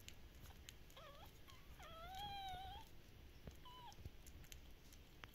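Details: Active Shiba Inu puppies from a breeder in the Netherlands: a short yip, then one long level whine lasting about a second, then a few brief softer whimpers, over a faint hum.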